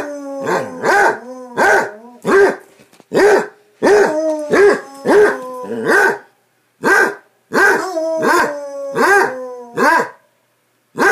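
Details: Basset Hounds playing together, trading rapid deep barks with sustained baying tones running underneath, roughly one bark per second, pausing briefly near the end.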